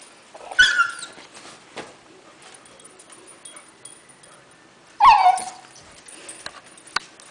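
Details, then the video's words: Mad Beagle puppy Hershey, trying to bite as he is picked up, lets out two high, falling yelps about four seconds apart, with soft rustling and faint taps in between. "Very Mad Beagle Puppy"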